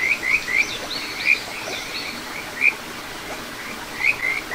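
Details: Kajika frog at a small stream in the satoyama of Ichihara, Chiba, Japan, filmed 9 June 2022: a few sharp upward-sliding whistled chirps spaced a second or more apart, fainter frog notes and running water underneath.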